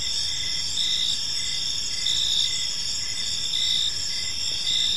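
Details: Crickets chirping in a park in the evening: a steady, high, shimmering trill in several layered bands, with slightly louder pulses swelling about once a second over a soft low background hum.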